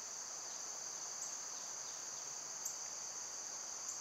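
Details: Continuous shrill buzzing from cicadas in summer, an even high drone that never pauses, with a few tiny clicks scattered over it.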